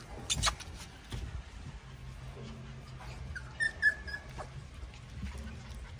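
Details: Five puppies investigating and pouncing on a cat out of curiosity; brief high squeaky whimpers and yelps come in short bursts, mixed with scuffling thumps and a low steady hum underneath.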